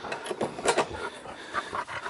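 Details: A West Highland White Terrier on a farm, recently clipped around the nose, pants in quick, breathy puffs, several each second.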